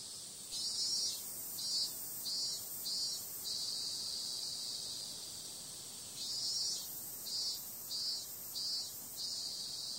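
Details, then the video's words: Night chorus of cicadas in summer: a bright high-pitched drone carrying bursts of louder pulses, about two per second, in two clusters separated by a calmer steady stretch. "Cicada sound"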